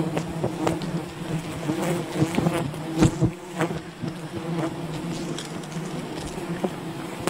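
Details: Wild bee colony disturbed during honey hunting: a dense, steady low buzzing hum from many bees, with sharp clicks and knocks from handling scattered throughout.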